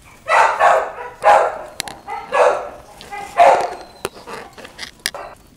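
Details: Puppies barking in a run of short, hoarse barks about once a second, then softer, scattered yaps toward the end, with a few sharp clicks between them.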